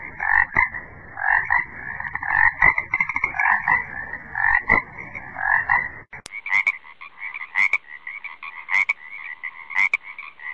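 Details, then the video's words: Frog croaks repeated roughly once a second: short, rasping double-toned pulses, one lower and one higher. Low rumbling and knocks accompany the first half. Later the calls continue over quieter background with occasional sharp clicks. "BD Frog Documentary"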